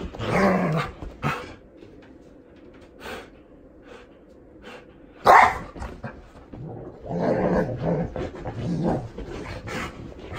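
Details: Hatch, a seven-year-old female Golden Retriever, is shampooed with dog soap. Her short, harmonic, grumbling vocal bursts come in clusters. A sharp, loud burst sounds near the middle, followed by a longer run of murmuring sounds, with indoor splashing and rustling.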